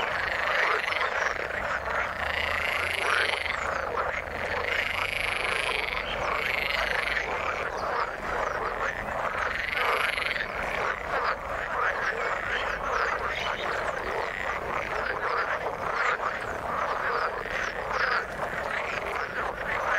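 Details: Frogs calling in the water: a dense, unbroken chorus of many overlapping rattling croaks, with louder bursts at about three, six and ten seconds and a faint low drone early on.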